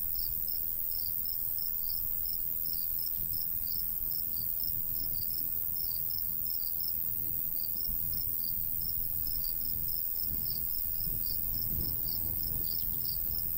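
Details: Crickets in a golden wheat field in the summer countryside, giving a steady train of short, high chirps, roughly two to three a second, over a constant low rumble of light breeze.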